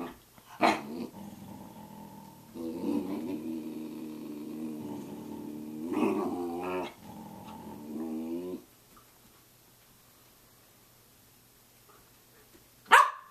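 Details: Samoyed dog at 6:00 a.m., indoors, giving drawn-out, harmonic grumbling and whining vocalizations in two long wavering phrases, with a sharp brief sound near the start and another at the very end, then quiet.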